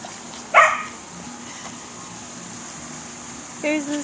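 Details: Swedish Vallhund puppies, five to six weeks old, from a litter of ten, playing indoors: a sharp, high yip near the start, a quiet pause, then a lower, drawn-out yelp about three seconds later.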